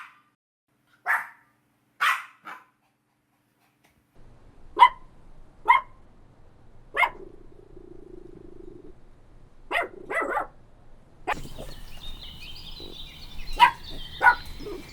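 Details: Playful dogs on a green meadow bark in scattered single yaps with pauses between them, joined later by a low steady hum and some bird chirps.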